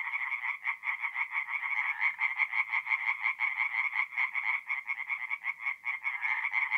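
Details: Tree frogs singing at night at a forest pond in mid-April in north-east Italy: a dense chorus of rapid, rattling pulsed croaks, overlapping without pause, with a strong band around the middle pitch.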